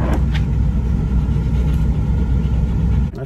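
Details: Deep engine and road rumble fills a moving car's interior, ending with a brief dip in sound near the close, with no animal voice present.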